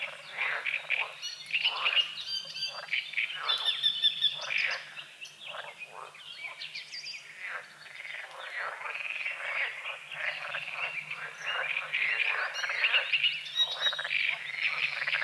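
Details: Frogs croaking at dawn on a small lake at a forest edge with morning fog over the water: a dense chorus of rapid, rasping pulses, about three per second, mixed with chirping songbirds and faint insect buzz.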